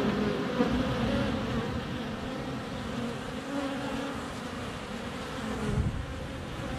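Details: Honey bees in flight right at the hive entrance, sunny February weather, captured up close with a GoPro Hero 7 Black; thick, unbroken low buzzing that rises and falls slightly in loudness.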